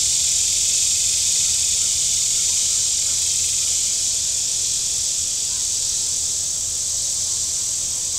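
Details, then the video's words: Cicadas on the shore of Table Rock Lake, southern Missouri, on a warm Saturday. A loud, unbroken, shrill hissing buzz stays steady the whole time, with only a faint low hum beneath it. "Boating Lake Sounds and Cicadas"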